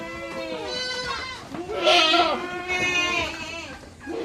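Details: Goats on a farm in summer, given salt and molasses drinks, bleat loudly and repeatedly: quavering, nasal cries overlapping one another, some harsh and breathy, with several animals calling together.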